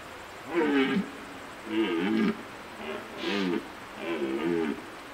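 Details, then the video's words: Red deer stag roaring during the rut in September 2017 at Poľana: four harsh, groaning bursts about a second apart, each with wavering, stacked harmonics, against a quiet outdoor background. "Jeleň v ruji"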